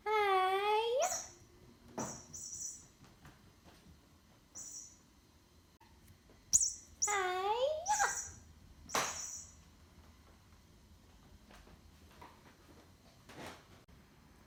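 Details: Mr. Butters, a house cat, calls while being played with: two separate meows several seconds apart, each dipping then rising in pitch. Scattered clicks, taps and thin high squeaks fill the pauses in a quiet room.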